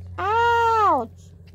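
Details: Toy Poodle puppy, four months old, giving a single drawn-out tonal whine lasting about a second, steady and then sliding downward at the end, indoors with a low background hum.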